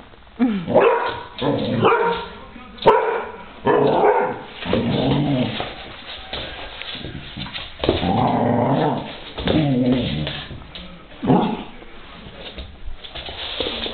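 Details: Hungarian Vizsla dog playing with a piece of mandarin: bursts of short barks and growly, whining vocal notes, roughly one a second, while a person speaks Slovak to the dog.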